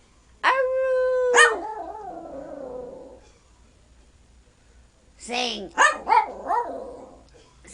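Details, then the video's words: A small 12-year-old male Yorkshire Terrier sings on request: a steady held howl breaking into warbling lower notes, a pause, then a burst of short quavering yelps while a person coaxes him to sing. "Yes My Dog Can SIng !"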